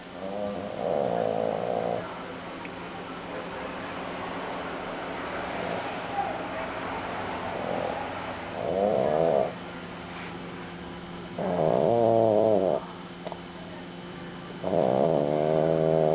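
A French Bulldog snores in loud, rattling, buzzy bursts every few seconds while asleep.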